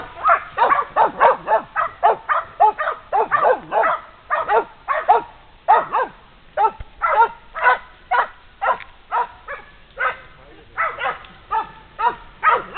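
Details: A pair of female Polish Hounds hold a wounded wild boar at bay after a long trail. Loud, clear barks repeat almost twice a second in uneven bursts, with short gaps between runs.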